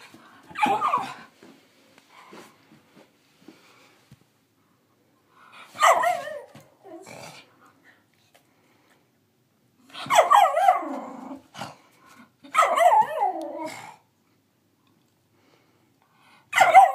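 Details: A 9-month-old female Miniature Schnauzer, finding her voice, gives uncertain, wavering barks that stretch into short, howl-like yelps.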